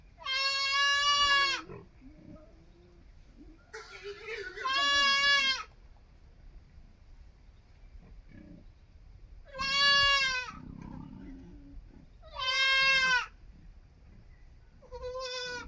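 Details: Young goat kid calling with five loud, high, nasal bleats spaced a few seconds apart, each lasting about a second, with faint rustling and low murmuring in the quiet gaps.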